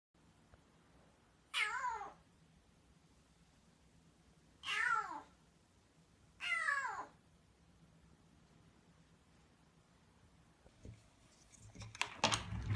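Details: Rescued black kitten meowing soon after rescue, its voice then hoarse; three loud, rough, wavering meows about three seconds apart, each sliding down in pitch, followed by rustling and handling noise near the end.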